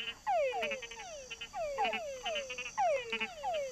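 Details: Male túngara frogs (Engystomops pustulosus) give mating calls, descending whines, some ending in short chucks, to attract females; a lower croak signals a bigger male.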